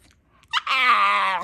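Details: A talkative 10.5-year-old female Staffordshire Bull Terrier in Alaska gives a sharp yip, then a long, high, nasal whine, begging for her ball stuck behind the couch.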